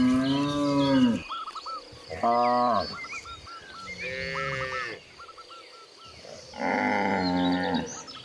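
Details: Cows roaming freely across green fields and descending give long, deep, harmonic moos, several overlapping, with small birds chirping behind.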